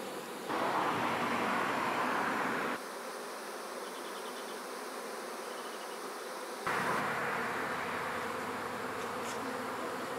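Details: Swarming honey bees entering their new hive behind the queen: a loud, dense, continuous buzz of many insects that drops in volume for a few seconds mid-way and then surges back close up.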